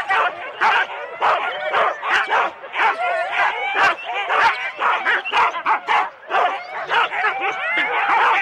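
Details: Excited Husky sled teams of four dogs at the race start in Rendlesham, January 2016, a loud crowd of dogs barking roughly once a second in irregular bursts, with shrill yelps and whines between, captured on analogue cassette tape.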